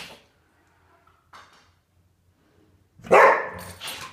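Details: Arktis, a female Border Collie, indoors at home, worked up over a half-dead fly. Near-silence with faint rustles gives way to one loud, sharp bark, then a shorter, softer yelp right after.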